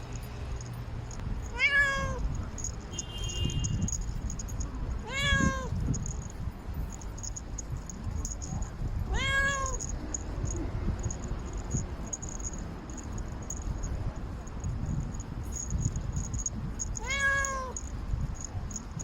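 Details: A domestic cat that rarely meows, calling for love while walking on a city wall: four similar rising-falling meows spaced about four seconds apart, with steady low rumble and faint high hiss behind.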